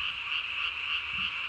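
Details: Japanese tree frogs calling at night on 3 May 2020, each inflating its vocal sac under the chin to nearly the size of its body; a dense, unbroken high-pitched rattling chorus holds steady throughout.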